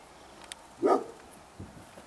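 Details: A roe deer in a buttercup and cow parsley meadow at Walkerburn, Upper Tweed Valley, Scotland, in June gives one short, harsh, dog-like bark against a quiet background.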